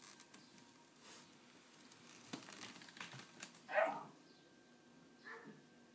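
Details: Female puppies from M's October 2011 litter of nine, two remaining, at play in a hessian bed indoors; after faint rustling and clicks comes one loud, sharp puppy yelp, then a softer squeak near the end.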